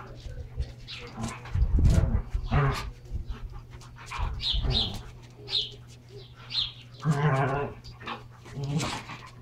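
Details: Two Standard Poodles wrestling hard while playing with their toys indoors: rough growling and grunting bursts, some with harmonic snarl tones, come in irregular clusters over a steady low electrical hum.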